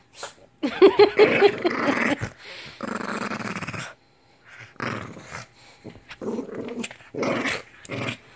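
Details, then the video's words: Lhasa Apso named Lily, indoors, growling and snarling in broken bursts, with a brief yelping whine early on and pauses between rough grumbling stretches. "BEWARE of the Lhasa Apso"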